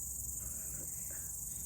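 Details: Outdoor chorus of crickets on a nature Sunday, approached more closely; an even, piercing high trill sustains throughout, with soft low-frequency ambient noise beneath.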